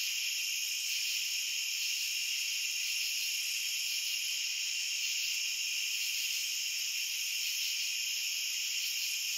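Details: Shrill, constant cricket chorus made of several stacked high trills that run without a break at one level, with a faint uneven flicker at the top and no other sounds.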